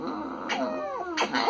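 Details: A scared black kitten of about 2.5–3 months, with a white chest spot, is rescued on a Friday after being abandoned in trash bags in central São Bernardo do Campo, meowing compulsively. It gives a thin, high, downward-sliding meow between bursts of rustling.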